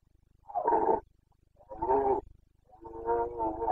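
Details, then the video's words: Carpathian red deer stag in Bucovina, Romania, roaring during the breeding season on 29 September 2022. Three hoarse, harmonic-rich bellows of roughly half a second each come in quick succession, the last one longer and steadier. "Boncănit / Carpathian stag Breeding season 29.09.2022"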